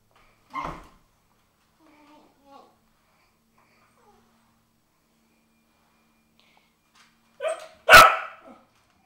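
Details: Cardigan Welsh Corgi barking in response to a vacuum cleaner; one short bark early, faint sounds, then a loud sharp bark near the end, otherwise quiet.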